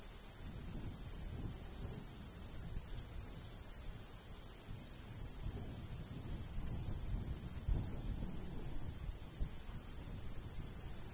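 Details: Crickets in a golden wheat field in the summer countryside, light breeze: short high chirps repeated steadily about three per second over a constant shrill hiss, with a low rumble of wind beneath.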